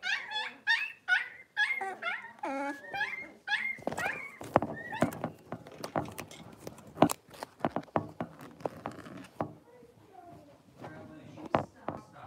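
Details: Six-week-old blenheim Cavalier King Charles Spaniel puppies from a litter of five in an indoor puppy pen, giving high squeaky whimpers and yips over the first three seconds, followed by scattered tapping and clicking noises in a small room.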